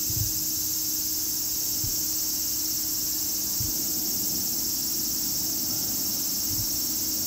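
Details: Continuous shrill cicada buzzing, an even high-pitched drone with no breaks, over a low steady hum and occasional soft low knocks.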